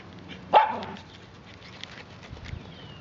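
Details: Swedish Vallhund puppy, female, running wild after her first bath, lets out a single sharp bark, followed by quiet pattering and a woman's soft praise.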